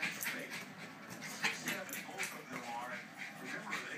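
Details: Betsy, a Jack Russell, whimpers and yelps in short bursts while playing with a balloon she likes to pop, with squeaks, panting and nearby talking.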